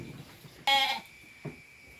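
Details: Midnight-born lamb letting out one short, abrupt bleat lasting about a third of a second, followed by a faint bump, against a quiet background with a steady high hum.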